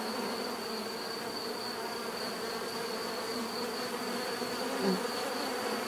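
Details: Continuous bee buzzing, many wings humming together in an even droning wash, with a thin high tone holding steady above and a brief louder swell near the end.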